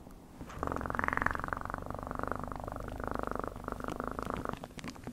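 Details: Close, continuous cat purr, a fast-pulsing buzzy drone over a deep rumble, sustained for about four seconds with a slight swell early on, very regular and quiet in the room.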